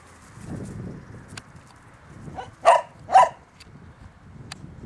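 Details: Golden Retriever x Newfoundland dog (Canis familiaris), bark.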